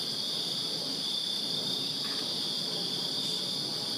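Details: Short stretch of a summer-night cricket chorus from a backyard in Virginia: steady high shrill trilling from numerous insects, with a faint low background rumble.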